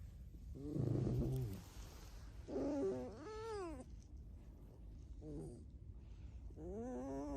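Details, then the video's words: Domestic red fox squeaking: a rough, buzzy burst followed by clear rising-and-falling whined squeals with strong overtones, a short chirp, then a final drawn-out upward squeak, over low household hum. "Алиса Лиса-Alice the Fox (Скрипит Без Слов)"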